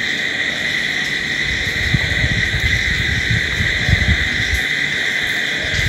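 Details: Crickets trill steadily at night in a constant shrill chorus, with soft irregular low thumps and rumbles underneath.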